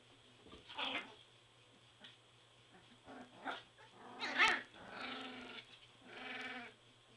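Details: Border Collie puppies, three weeks old, squabbling in a whelping box: short high yelps and squeals, then longer grumbling whines with layered overtones near the end, over a constant low hum.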